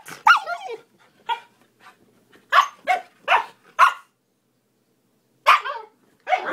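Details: Playful young Siberian Husky Miku talking in a run of modulated howl-like yips and barks, several with bending, wavering pitch, delivered in quick clusters with a short pause before the last calls.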